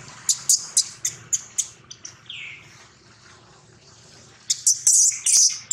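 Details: Baby monkey Daniela crying loudly and hurt while Queen Dolley attacks and Dana tries to take the baby back; sharp high-pitched squeals in quick bursts, a brief thinner tonal wail, then a louder cluster of shrill screams at the end.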